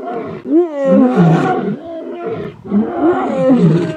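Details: Young male lions of a coalition returning to take over their fathers' territory in Ol Kinyei Conservancy, Masai Mara: loud, harsh roaring snarls with arching, rising-then-falling tones, three bursts close together, then a rougher growling stretch.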